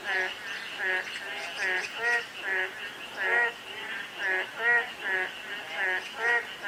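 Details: Frog calling on a day of light drizzle: short, harmonic, nasal croaks repeat in a steady run about every half second, each pulse rising and falling in loudness, with no other clear sounds.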